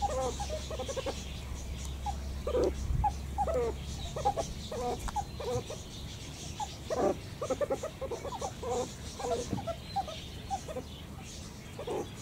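Meerkats giving a string of short, squeaky peeps and chirps over a low background hum.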